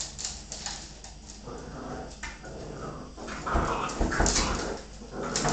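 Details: Bull Terrier mother roughhousing with her puppies: a noisy tangle of whining, low grumbling growls and scuffling, rising to louder yelps in the last two seconds.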